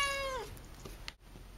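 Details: Akari, a young pet cat in her first two months with a new family, indoors: one short meow with a bright stack of harmonics, held level and then sliding downward as it fades, lasting about half a second, followed by faint room sounds.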